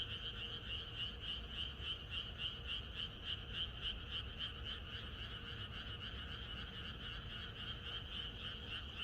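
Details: A chorus of many frogs croaking in the countryside on the night before rain, a dense pulsing racket of rapid repeated croaks, about three or four per second, blending into one continuous rolling wall of sound with no other noises.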